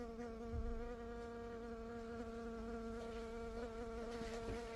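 A honey bee gives a continuous buzzing drone, low and even, with a rich, slightly nasal tone. The hum barely wavers in pitch or loudness across the whole recording.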